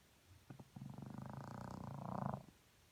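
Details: Morning snore from a French Bulldog: a couple of short soft snorts, then a sustained vibrating, buzzy rattle of about two seconds that swells toward the end and cuts off.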